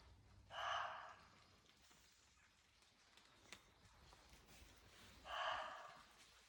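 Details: Roe deer barking outdoors: two harsh, hoarse, breathy barks about five seconds apart, each roughly half a second long, over a quiet rural background.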